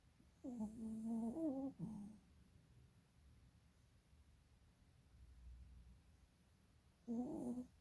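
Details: Snoring from a sleeping dog with eyes rolling: a long nasal, whistled snore of over a second that dips slightly in pitch, a short rasp, a quiet pause, then another whistled snore near the end.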